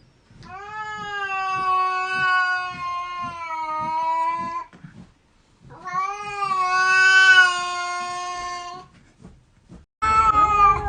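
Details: Domestic cats in a fight, one giving long, steady, harmonic yowls of about four seconds and three seconds with a short pause between them, then a sharp burst of a fresh yowl at the end.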